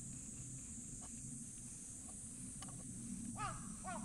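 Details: Stray ginger tabby cat meowing sweetly as it comes over to be petted, then quickly rolling onto its back; two short arched, rising-then-falling meows close together near the end, over a steady high insect-like hiss and low outdoor rumble.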